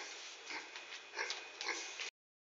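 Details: A domesticated wild boar in Mossel Bay, South Africa, gives a few short, breathy snorts and snuffling grunts over a steady hiss.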